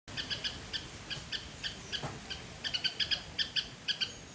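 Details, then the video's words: Squirrel in a Sri Lankan garden giving a loud call: sharp, high chirps with bright overtones, repeated about three to four times per second in uneven bursts, over steady faint background hiss. "Loud Squirrel sound"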